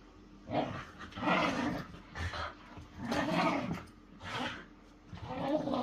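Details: Whippets play-wrestling as pets: rough, throaty growls come in bursts of about a second, rising and falling, separated by short quiet gaps, with some huffing breaths between.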